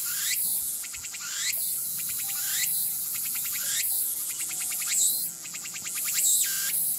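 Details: Meimuna opalifera, the tsukutsuku-boshi cicada, giving a rhythmic pulsed song. Short trains of ticking pulses alternate with rising swept notes in a regular cycle, backed by continuous shrill insect hum.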